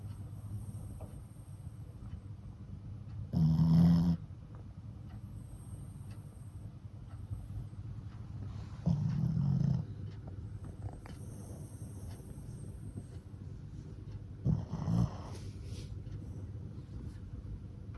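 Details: Flat-faced Shih Tzu × Pekingese mix dog asleep and snoring, worn out from lots of play; three loud rasping snores roughly every five to six seconds between quiet low breathing.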